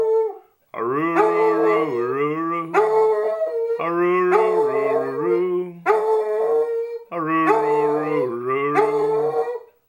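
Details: Female Basset Hound howling along as her owner sings a basset song; long, wavering harmonic howls in three drawn-out phrases with short breaks, the human's singing voice underneath.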